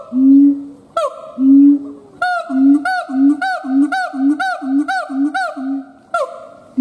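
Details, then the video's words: Siamang gibbon calling: two long low hoots, then a quickening run of short booms each paired with a falling bark, ending on a single drawn-out hoot. "Siamang Gibbons monkay howling"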